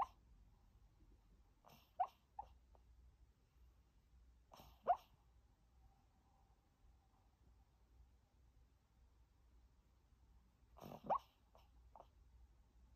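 A sleeping Maltese gives soft, scattered whimpers and little huffing yips, spaced seconds apart in a quiet room.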